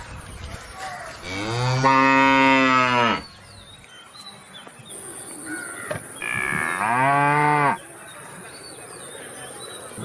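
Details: Cow mooing twice, each low harmonic moo lasting about two seconds with a few seconds of quiet between, faint background hiss.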